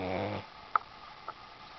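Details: A Boston Terrier sleeping on a sheepskin gives a brief, low buzzy snore, followed by two soft clicks in quiet surroundings.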